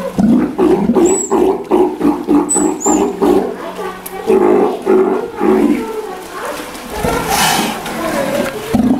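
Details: Young Steller sea lion, one year old, kept at Ise Sea Paradise aquarium in Japan: hoarse, low moaning calls repeated in rapid bursts, with brief high chirps near one and three seconds and a noisy rush late on.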